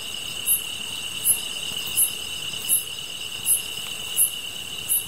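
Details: Steady high whining drone of grass insects near a campfire, with a crisp chirp recurring roughly every 0.7 seconds, seven in all.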